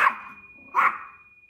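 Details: Small Yorkshire Terrier, 1 year 8 months old and 1.75 kg, indoors at home reacting to another dog in the house: two short sharp yappy barks about 0.8 seconds apart, with a steady high whine and faint music behind.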